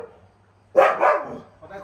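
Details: Siberian Husky named Winter, vocalizing during an argument with his owner: one short, loud, harmonic yowl that starts high and slides downward, followed by quieter murmuring voices.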